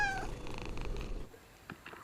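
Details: Kittens at home: a brief harmonic meow ending opens the clip, followed by a low, rapidly pulsing purr-like rumble for about a second, then quiet room sound with a few faint clicks.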